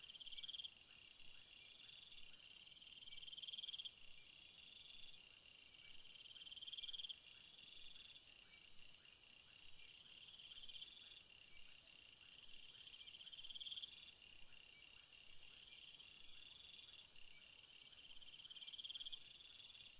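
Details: Night chorus of crickets, a continuous high shrill chirping with regular pulsed bursts about every three seconds, set against a soft steady background hiss.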